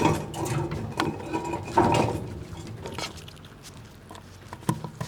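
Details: Several squirrels in winter eating nuts and jostling one another; dense crunching and gnawing clicks crowd the first two seconds, then thin out into sparse, sharp ticks and a single loud crack near the end.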